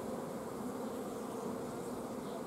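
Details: Honey bee colony at an apiary, filmed 14 June 2016; a lack of forage has forced the colony to block the queen from laying. Dense, steady low humming drone throughout, no breaks or other sounds.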